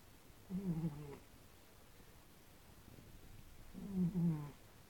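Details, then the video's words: Cats in a snoring contest: two low, rumbling, harmonic snores about three seconds apart, each lasting roughly half a second, with a quiet hiss between breaths. "The cat's snoring competition! (Gara di russamento tra gatti)"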